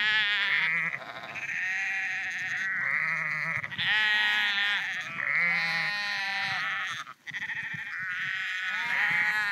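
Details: Sheep walking on the Porrenkoogdeich near Husum, Nordfriesland, calling almost without pause: a dense chorus of overlapping, quavering bleats in higher and lower voices.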